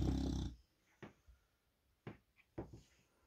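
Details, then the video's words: An English Bulldog snores with his eyes open: a loud, low, rattling rumble, then a few soft snuffles. "Reg the Snoring English Bulldog"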